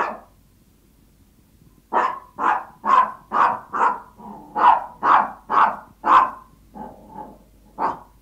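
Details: A hungry Yorkshire Toy Terrier asking its owner for food gives a rapid series of sharp, high yapping barks, about two per second.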